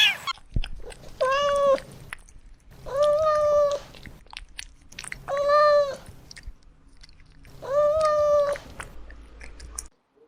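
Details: Kittens stalking and chasing butterflies on grass give four drawn-out, harmonic-rich meows, each about a second long and spaced roughly two seconds apart, over a soft, low background hum and faint clicks.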